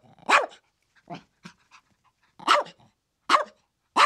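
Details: Chihuahua barking: sharp, high yappy barks in short bursts, with one bark, a short gap, a few softer yips, then three loud barks spaced about a second apart.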